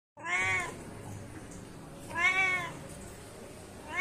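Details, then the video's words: Cat meowing to call its companions: two drawn-out, harmonic meows rising then falling in pitch, about two seconds apart, over a quiet background hiss. "Suara kucing lucu memanggil temannya"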